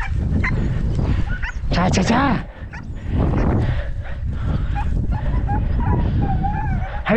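Several podenco hounds give voice on the hunt with high, arching yelps and sharp barks that rise and fall. A man's voice calls the dogs throughout, with rustling in the background.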